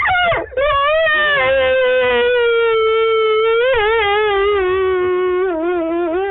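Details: Wolves Lava and Tyke at night at the Wolf Conservation Center, South Salem, New York: one long, smooth howl that holds a steady tone, then sags a little lower with a gentle waver. Captured by screen recording.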